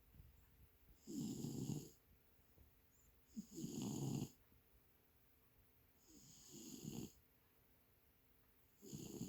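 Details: Leo, one of three feral cats in Northwestern Oregon, sleeping peacefully on a lap, said to be in REM sleep: four breathy snores roughly every two and a half seconds. Each has a low rumbling core and a faint hissing upper edge, with quiet pauses between.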